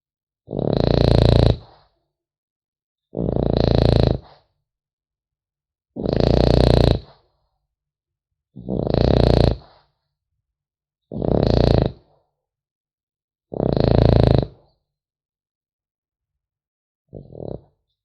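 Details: French Bulldog puppy sleeping and snoring steadily, six loud gravelly snorts about every two and a half seconds followed by a short weaker one, quiet between breaths.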